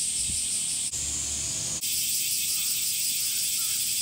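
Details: Male cicadas singing in summer by flexing drum-like tymbals in the abdomen: a dense, steady, high hissing buzz, broken by two brief dips in the first two seconds, with a faint low thump near the start.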